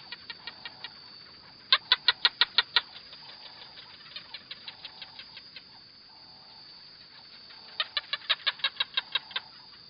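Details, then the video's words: Lizard giving series of sharp dry clicks, about three per second, in loud bursts near the start and end with a softer run between, over a faint steady hiss. "Звук ящерица"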